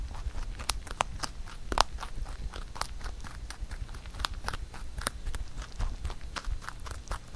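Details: Pet rabbit chewing a carrot songpyeon given for Chuseok; sharp scattered crunches and bites over a quiet background, irregular and crackly.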